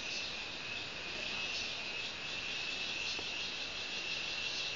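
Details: A cricket, known locally as cheveed, sings a continuous high, thin, steady trill without pause, unchanging in pitch and loudness, with nothing else audible.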